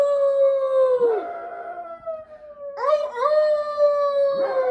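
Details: Chihuahuas howling in chorus: a long steady howl slides downward, then a second voice breaks in with wavering, rising notes before settling into a level tone; faint low hum beneath.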